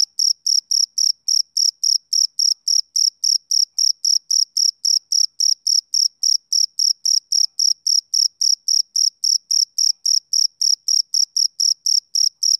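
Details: Summer-evening chirping of a male cricket: a long, even train of piercing high chirps, each brief and identical, spaced about a quarter second apart with no other sounds.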